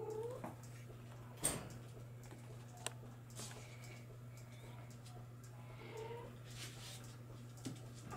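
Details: Bengal kittens from litters born in July 2022 give a few faint, short mews spaced seconds apart, with a sharp knock and a steady low electrical hum underneath.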